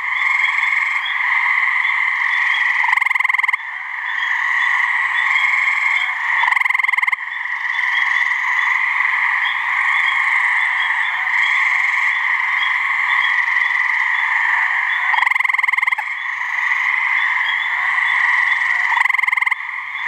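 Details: Steady trilling from gray treefrogs calling to mate in a New Hampshire swamp. The pulsed chorus holds almost continuously, with short breaks and a few louder trill bursts now and then.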